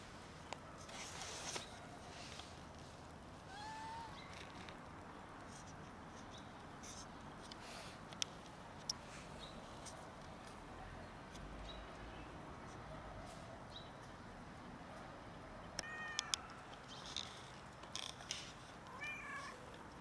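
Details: Unwell cat, known as the rolling cat, that cannot eat, giving a few short harmonic meows spaced across the recording, one near the start and a couple near the end, over steady outdoor background noise with scattered clicks and taps.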